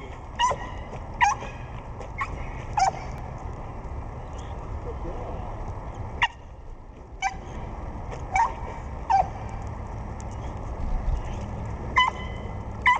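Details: Pit bull Ava swimming and snapping at the water, giving short yappy barks at irregular intervals, about ten in all, over continuous splashing and background noise.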